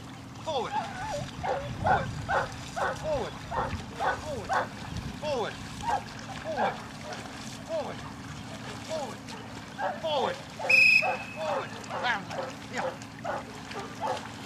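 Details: Layla, a Newfoundland dog, during the section C water test exercises at Grangewater Tests, outdoors by the water. Short, harsh barks repeat about twice a second throughout, with water sounds and a brief sharp noise near the end.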